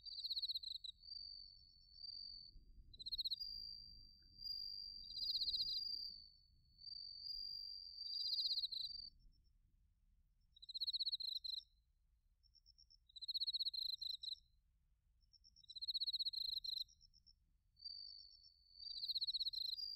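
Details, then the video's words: Autumn chorus of bell crickets and crickets from Narita, Chiba, Japan, TASCAM Portacapture X8 recording: bright, rapid pulsed chirps in one-second bursts recurring every couple of seconds, overlapped by a sustained high trill, soft low-frequency rumble beneath. "秋の音 スズムシとコオロギの鳴き声 - Sounds of autumn, chirping of crickets and crickets"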